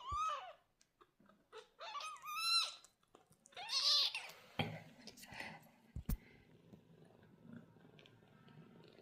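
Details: Two young golden British Shorthair kittens, resting and exploring near their mother, give thin, high meows that rise and fall, several in quick succession.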